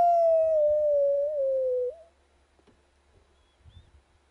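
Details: Wild dogs howling at a camp: one loud, smooth howl held about two seconds, sliding slowly downward with a small wobble near the end, then near silence with faint low rumbling.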